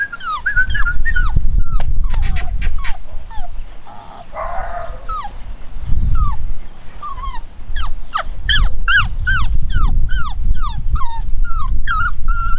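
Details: Chocolate cockapoo puppies, a home-bred litter of boys and girls nine weeks old, whimpering and yipping in short falling squeals repeated rapidly, some overlapping, with a low rumbling background throughout.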